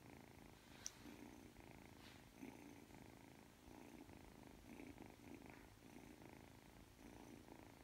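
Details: Purring Ragdoll kitten, three months old, kneading before falling asleep indoors; low continuous rumble pulsing with its breathing roughly every second, with a couple of faint clicks in the background.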